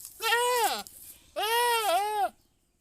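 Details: Goat giving two loud, nasal, wavering bleats, the second longer with a dip and rise in pitch, then silence.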